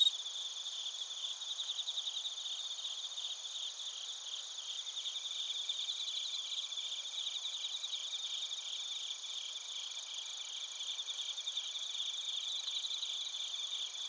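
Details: Bell crickets and crickets singing in Narita, Chiba Prefecture, Japan, recorded with a TASCAM Portacapture X8: a long, even high-pitched chorus of rapid pulsed chirps and a constant ringing hum, with bursts of trilling in the middle.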